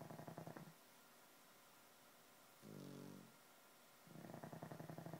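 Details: Sleeping pugs, two of them, snore in step: a gravelly, fluttering drawn-out snore, a brief smoother nasal breath, then another rattling snore building at the end.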